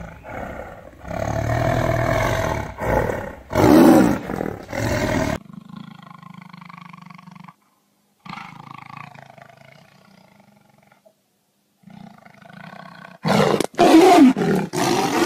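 Powerful, throaty tiger roars come in harsh bursts at the start and again near the end. Between them, softer low rumbles and growling breaths fill the gaps, broken by sudden silences.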